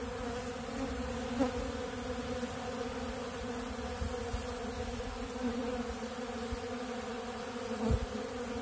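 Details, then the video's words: A swarm of honeybees feeding on ultra bee pollen at a large blue feeder makes a continuous low buzzing hum, broken by two brief sharp taps. "Therapeutic Treatment Sounds Of The Honeybees"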